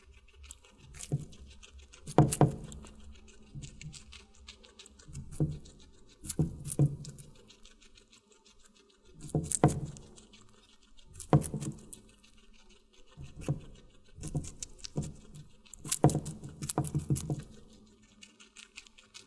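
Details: Close-up guinea pig eating watermelon in an ASMR mukbang: loud, crisp crunching bites arrive in regular bursts every couple of seconds, separated by brief near-silent gaps, with a faint low hum underneath.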